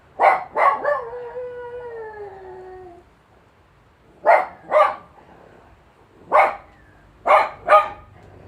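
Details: Two quick yips lead into a descending, quavering howl from Sally, a Jack Russell terrier set off by an ambulance siren, followed by paired short yelps repeating every second or two.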